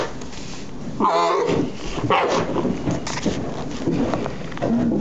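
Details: One-day-old newborn Bactrian camel calf at Tallinn zoo, Estonia, described as noisy and angry, gives a short, loud, harsh harmonic bleat, with rustling, handling noise and a murmur of voices around it.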